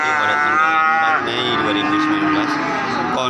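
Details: Cattle at the Wagiran cattle market in Pati, Indonesia, on 4 May 2019, a busy market: a strong harmonic moo lasting about a second, then lower lowing under crowd chatter.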